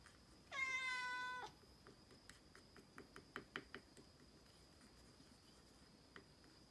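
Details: While being given medicine, a Norwegian Forest Cat lets out one loud, sustained, tonal meow lasting about a second, then falls silent amid scattered small clicks and taps in a quiet room.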